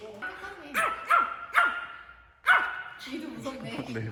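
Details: Young Maltese dog, born May 2019, excited on a forest outing in Okcheon, South Korea, giving four sharp, high barks in quick succession, then a pause, with a person's voice and rustling afterwards.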